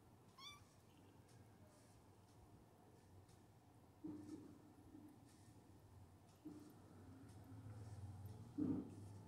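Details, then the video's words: A kitten, protesting another cat's over-stringent licking, gives a brief, high, bending meow, followed by a few softer, lower sounds. "Cute Kitten meows and says no to licking"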